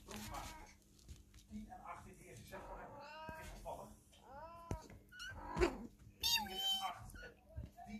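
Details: Kittens playing in their cat castle indoors give short, arched, high mews, with two clear rising-falling calls near the middle and thinner squeaks later, over rustling, scratching and knocking sounds, with what may be faint human voices.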